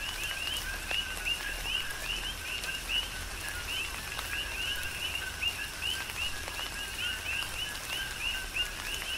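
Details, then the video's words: Many coqui frogs on the Big Island, Hawaii, sing through a tropical rain shower; quick upswept chirps overlap in a continuous rhythmic chorus while raindrops tap and a steady rain wash fills the background. "Tropical Rain & Coqui"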